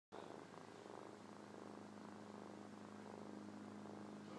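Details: Domestic cat purring in her sleep while lying on a person's lap; a steady, low, rumbling purr that continues without break, with soft rhythmic pulses throughout.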